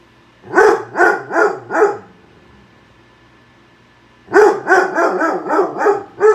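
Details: Pet dog barking at a microwave heating a bowl of soup: four quick sharp barks, a pause of about two seconds, then a faster run of about seven barks.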